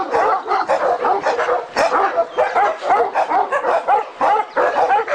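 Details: At an Alabai kennel, Turkish Malakli and Jindo dogs give loud, repeated barks in quick bursts, several voices overlapping, with brief whiny notes between them.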